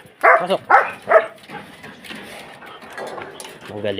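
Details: Three quick, forceful barks from a Belgian Malinois open the recording, followed by a person talking.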